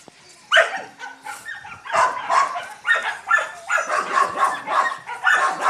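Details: Grubby Yakutian Laika puppies together with their mother Rumba: after a short quiet start, loud, rough barks and yelps in quick succession, roughly every half second, voices overlapping.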